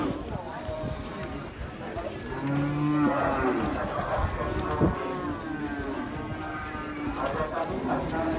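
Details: Cattle at Pasar Muaro Paneh, the largest livestock market in West Sumatra: a low, steady moo near the middle and a shorter one shortly after, over a constant murmur of market voices and background music.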